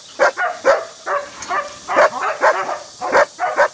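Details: German Shepherd at a breeding farm of old-type flat-backed working dogs, a young female about eight months old; about eight short, sharp barks and yips in quick, uneven succession, with faint background noise.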